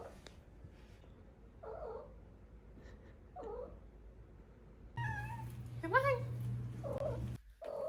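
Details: Four-month-old female Maine Coon kitten indoors making little trills and chirps, short rising warbled calls around 6 seconds, with a steady low hum and a person talking softly to her.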